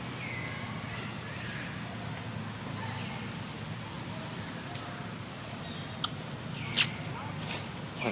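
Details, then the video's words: Outdoors, a baby monkey lies on the ground and cries for its mother to come and comfort it. Several high, falling whimpers come early, then sharp clicks and knocks near the end, over constant background hum and low talk. "little monkey lies crying on the ground, waiting for its mother to pick it up and comfort it"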